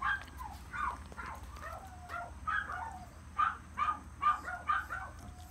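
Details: Shrill, squeaky yips from a male long-haired Chihuahua puppy born 13 April 2018, scattered irregularly at first then bunching into a quicker series of short cries, over a constant faint hum.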